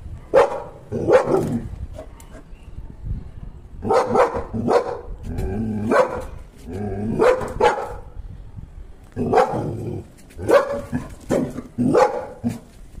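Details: A Labrador Retriever barks at a grasshopper in short, sharp bursts, often doubled, with brief pauses between.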